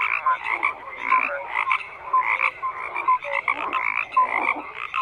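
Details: Croaking frogs fill the air with rhythmic bursts of grating, pulsed calls, several clear short whistled notes repeating roughly every second above a steady chorus background.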